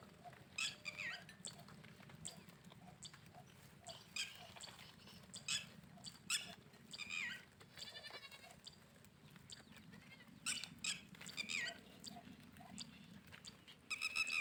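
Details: Goat on a farm making funny noises: a wavering, buzzy bleat partway through, with short high squeaky calls scattered across the clip over a steady low background hum.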